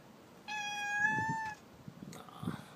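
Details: Pet cat at rest indoors, answering its owner's questions with one long, steady, drawn-out meow lasting about a second, followed by soft rustling and the owner's voice.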